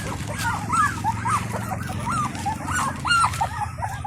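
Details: Indian Pariah puppies of a free-living stray mother at feeding time, one crying for her attention; short arched whimpers repeat every half second or so over a steady low hum.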